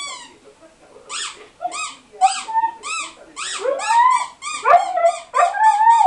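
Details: Dog crying in response to the sound of a toy: a rapid series of short high squeaky whimpers building into longer wavering whines that rise and fall, several per second, indoors.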